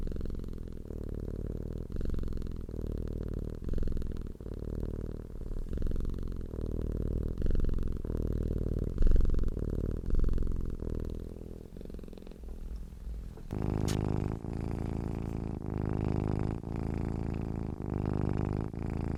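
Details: Low, rumbling cat purr pulsing steadily through the first twelve seconds. After that the sound shifts to a louder, broader purr with some handling noise close to the microphone.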